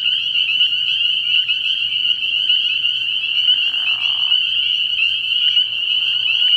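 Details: High, insistent peeping from a large group of spring peepers at a frog pond on an early spring night, forming an unbroken shrill chorus with a brief swishing sound in the middle.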